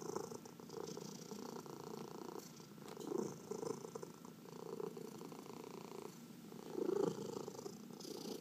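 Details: Purring domestic cat being massaged indoors, one of four cats including senior shelter adoptees; a steady low rumbling purr with soft breathy swells, louder near three and seven seconds, in a quiet small room.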